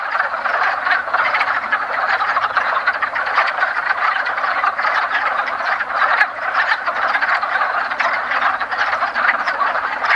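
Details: Mating wood frogs fill a woodland pond in the first days of spring with thick, rattling clucks, countless males calling at once in a constant, slightly pulsing chorus.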